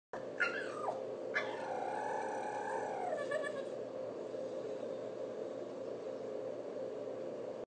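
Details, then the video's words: A 15-month-old male Staffordshire Bull Terrier chirping and warbling: two wavering, whiny cries, the second drawn out and falling over about two seconds, then steady low background hum. "Stafford Chirping"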